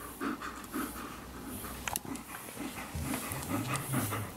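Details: Alaskan Malamute, a female dog indoors being groomed and disliking the removal of her hair, panting in quick, uneven breaths about twice a second, with soft rustling from the grooming and a Golden Retriever resting nearby.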